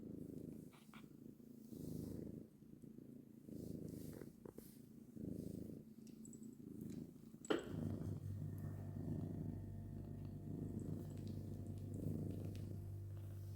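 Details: Purring from a mother cat among her kittens. Low rhythmic pulses rise and fall with each breath at first, then a sharp tap is heard, and the rumble turns into a deeper, steadier, continuous drone.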